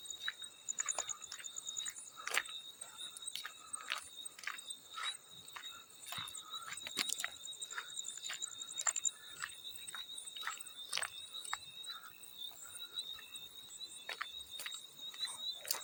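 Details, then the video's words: Steady high, thin ringing of a field cricket holds throughout, a second faint pulsing layer above it for the first half, while frequent sharp water splashes and drips punctuate it in a calming sleep-sound blend. "Field Cricket + water splash sounds"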